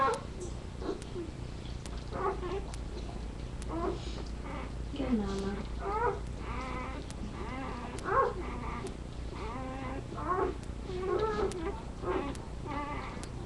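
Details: Labrador Retriever. Several Labrador Retriever puppies whimper and yelp together, their thin, wavering cries rising and falling in quick overlapping bursts. A low steady hum runs underneath, with a few human voices in the background.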